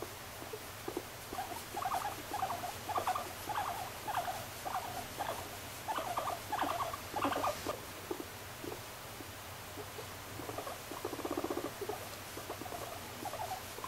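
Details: Pet guinea pig named Moru-chan gives short pulsed chuttering calls in rapid bursts, roughly one to two per second, with a quieter stretch midway and faint room noise.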